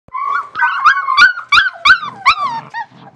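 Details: West Siberian Laika puppies, a 37-day-old litter on their first day outside in a puppy pen during nice weather; a burst of high, wavering yelps and whines, about eight sharp harmonic cries in quick succession.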